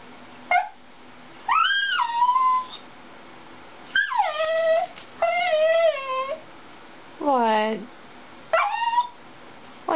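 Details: Dachshund Dixie, upset after watching a Toyota chase commercial, lets out repeated rich whines and short howls in bursts about one to two seconds long, most falling in pitch, while her owner asks what's the matter.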